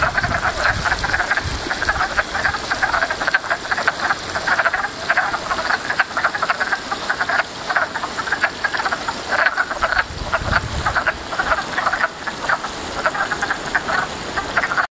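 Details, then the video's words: Many frogs in a backyard pond keep up a continuous, dense chorus of harsh pulsed croaks, bursts overlapping without pause across the whole recording. "Frog Pond"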